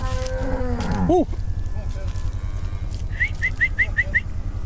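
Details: Brahma, Hereford and Brangus cows rounded up so calves can be sorted; one loud moo that slides downward and breaks off after a second, followed by a string of six brief high chirping notes.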